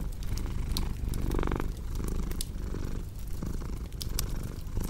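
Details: A cat's deep, continuous purr rolls on with brief swells on each breath, clearly in front of the snapping and popping of a crackling fireplace.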